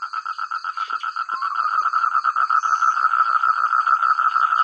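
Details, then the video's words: Frogs chorusing together in rice fields in the countryside; dense pulsed croaking repeated rapidly, about three pulses a second, overlapping voices forming a continuous loud, clear chorus with a steady high insect-like whine above. "Suara katak terbaik,rame ,keras dsn jernih"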